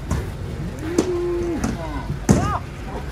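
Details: Huge cattle unloaded from a truck give a steady, drawn-out low moo held for about half a second, then a sharp rising bellow, with men talking nearby.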